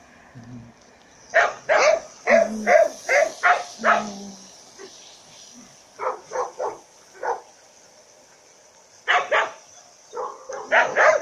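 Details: Fourteen-month-old female Labrador mix, a 25 kg rescue dog in the Province of Turin, Italy, gives repeated sharp barks in uneven volleys with short pauses, about two to three per second, and faint low voices in between.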